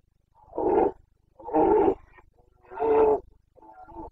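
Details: Breeding-season roaring (boncănit) of a Carpathian red deer stag, Bucovina, Romania, 29 September 2022. Three long, rasping roars repeat about every 1.2 seconds, then a shorter, weaker fourth call.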